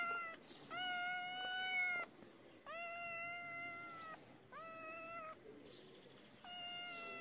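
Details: Feral kitten crying for food on a cold day: four or five drawn-out, steady meows, each over a second long and slightly falling at the end, separated by brief pauses, with light background hiss.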